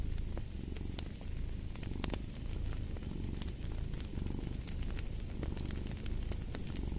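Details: Domestic cat purring in a deep, continuous low rumble that swells and fades with each breath, while a fireplace crackles with frequent sharp pops and snaps throughout.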